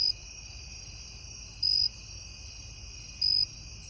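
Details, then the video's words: Cricket chirping at night: loud high-pitched trilled chirps about every 1.6 seconds, each lasting roughly a quarter second, over a steady continuous background insect drone and faint low rumble. "Sweet Sound of Cricket"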